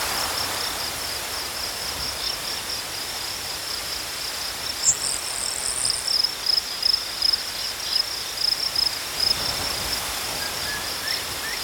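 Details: Crickets chirping in a natural setting, a high thin trill that is faint at first and grows into clearer rhythmic pulses in the second half, with a brief higher buzzing insect and soft background hiss.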